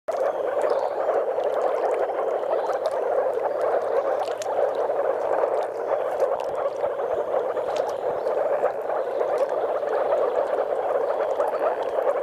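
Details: Courting moor frogs with some common frogs at a spawning site in Mecklenburg-Vorpommern, Germany: a dense, continuous chorus of overlapping bubbling, gurgling calls from many frogs, steady throughout.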